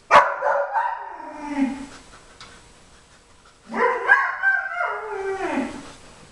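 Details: Jimmer, a Briard puppy of 4.5 months, vocalizes in the background as Queen, a German Shepherd aged five, searches tennis balls for treats: two yowling, bark-like cries, each rising sharply then sliding down in a whiny, wavering fall.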